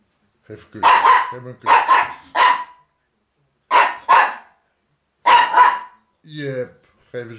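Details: Miniature Pinscher Jip warns Viva off the rug, December 2009: harsh barks in groups of two or three with pauses between, then a person speaking Dutch near the end.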